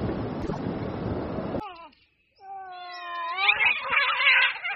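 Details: During a cat street fight, a rumbling noisy stretch gives way after a pause to a drawn-out, rising harmonic yowl that turns into a harsh screech.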